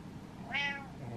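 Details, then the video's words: Impatient domestic cat meowing at its owner indoors while waiting: one rising-falling harmonic meow, with a person's voice nearby. "Impatient Cat Meows At Dad"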